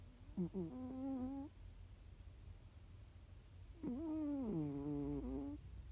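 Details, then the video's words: Jiji, a pet cat, snoring while asleep indoors: two drawn-out, buzzy, harmonic snores about a second long, spaced roughly three seconds apart, over a low steady room hum. "猫のいびき＆ふみふみ Cat's snoring＆kneading"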